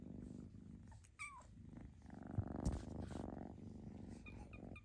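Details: Foster kittens purr with a throbbing low rumble; one gives a short high squeak that rises then drops, amid rustling and a few thuds of handling indoors.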